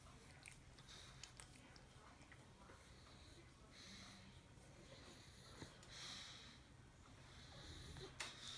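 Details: Sarah, a female Pug, asleep in the dog bed she took from Poppy the poodle mix puppy, snoring indoors: soft, breathy wheezing swells roughly every two seconds over a quiet room hum, with faint scattered clicks.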